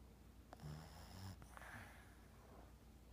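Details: A 5-year-old female Boston Terrier sleeping on a couch snores with a low, rumbling rattle on each breath, the flapping "yap flap" part of her snore.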